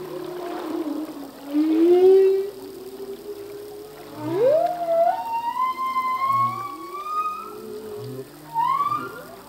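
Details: Humpback whale song, a male singing, his phrases changing from year to year: low moans sweeping up from about 300 into long rising whistled tones, with higher harmonic glides and faint soft grunts between phrases.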